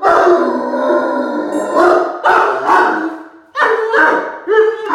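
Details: Great Dane puppy howling indoors, set off by a squeaky mouse toy: long wavering harmonic howls in several sustained bouts, with brief high squeaks between.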